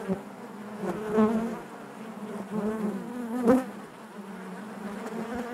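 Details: Honey bees humming inside the hive: a low, continuous buzz with wavering overtones, two clear swells where single bees pass close, then a brief sharp burst near three and a half seconds.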